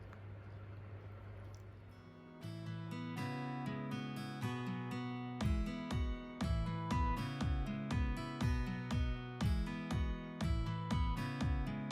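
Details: Acoustic guitar strums out a steady rhythmic pattern, starting after a soft low hum, with no animal calls audible.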